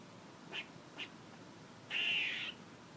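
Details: Squirrel making two short, soft raspy notes followed by one longer, louder buzzy call lasting over half a second.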